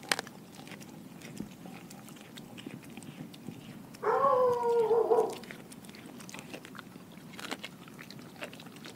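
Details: Sasha, a German Shepherd mix, eating a whole raw Cornish hen indoors. She gives one wavering, tonal whine of about a second mid-clip, surrounded by soft wet chewing and crunching.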